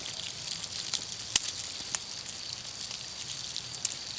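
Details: 17-year periodical cicadas emerging from the ground in southwest Ohio; a dense, faint crackle of scattered ticks like Rice Krispies, with a steady thin high whine throughout and one sharper click near the middle.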